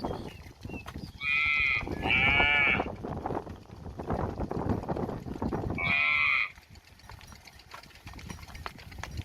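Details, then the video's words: Village cow near the house calling because it wants grass; two moos in close succession, then a third about four seconds later, each short and nasal, with low background rumble between. "Village 6 Cow Mooing, Cow Sound, Cow Standing Near The House, Cow Want Grass Food"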